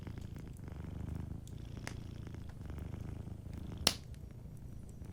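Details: Soft purring from a sleeping cat by a cozy fireplace, the low throbbing rumble rising and falling with each breath, broken by a few fire crackles and one loud snap near the end.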